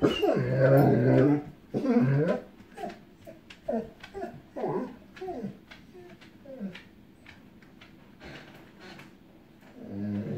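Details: Echo, a female dog frightened by an approaching storm, whimpering and yipping once she sees distant lightning, before thunder starts: loud, strained whines at first, then a rapid run of short whimpers and yips that fade toward softer cries.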